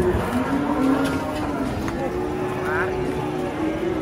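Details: Cattle at a busy Indonesian livestock market: a low, drawn-out moo holds steady for most of the clip under a constant hubbub of engines and voices.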